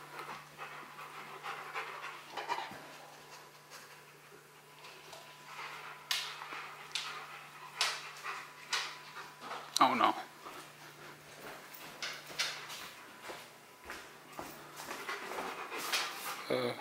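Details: Bruno, a Rottweiler, pants while working through a box maze puzzle indoors; soft breathy puffs run steadily, broken by sharper knocks and rustles of cardboard and a brief human voice.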